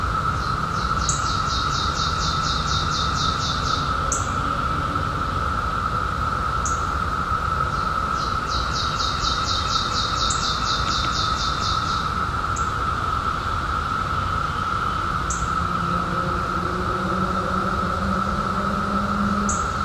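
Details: Brood emerging in 2021 after 17 years underground: periodical cicadas keep up an even, continuous buzzing drone at a single pitch, with bursts of fast bird trills, scattered chirps and a low rumble beneath.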